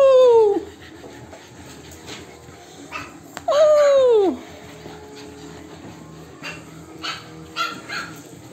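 French Bulldog puppies give two sharp, falling whines, each sliding down in pitch over half a second.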